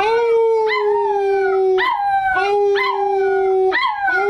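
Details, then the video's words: Male American Cocker Spaniel puppy Pippin, almost 11 weeks old, howling on cue: a continuous sustained howl with slowly falling notes, punctuated roughly every second by sharp upward-sliding yelps. "Pippin Howls!"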